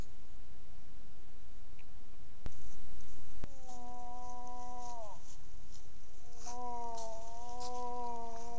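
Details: Wild moose during the rut, caught by a heat-triggered trail camera in the bush: two drawn-out, steady moaning tones of about one and a half and two seconds, each sagging slightly at the end, preceded by two sharp clicks.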